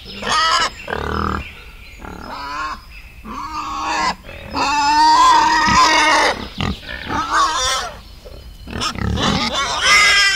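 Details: Wild boar in a forest setting, giving loud harmonic squeals and shrieks in irregular bursts of one to two seconds, with brief quieter gaps and some grunting between them.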